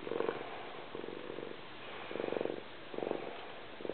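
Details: A cat purring very loudly: a low, throbbing rumble in rhythmic bursts about once a second, each burst a fast train of pulses, with quieter gaps between breaths.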